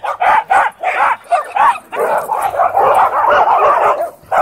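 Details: Dogs at a dog park, where a Dwarf Staffordshire Terrier tries to boss an American Bully, give a rapid run of sharp, mid-pitched barks, about eight bursts in quick succession with only short gaps between them.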